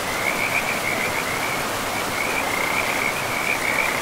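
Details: Frogs calling beside a river in a pristine forest with moss-covered ground: a steady high trilling band, broken into short pulsed bursts, runs through all four seconds over the constant rush of flowing water.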